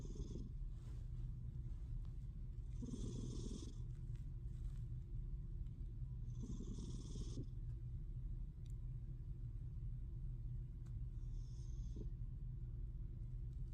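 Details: Sassy, a female pet cat, snoring while asleep: raspy snore breaths about every four seconds, each a short hissing rasp over a steady low rumble, four heard in all.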